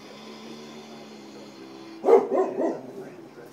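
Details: An English springer spaniel barking at a picture of a puppy on a computer gives three quick, sharp barks after a stretch of quiet indoor hum.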